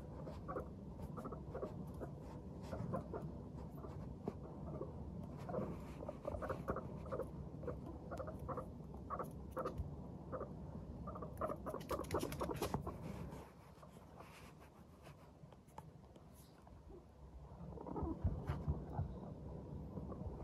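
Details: Guinea pigs, including Teddy and Abyssinian guinea pigs, give soft, low, rapid putt-putt chutting notes, a contented, happy sound made while walking around.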